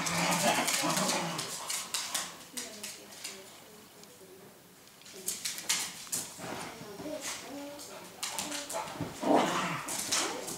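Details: Dog whining and whimpering in soft, high, wavering tones, in short bursts between stretches of human speech and handling noises.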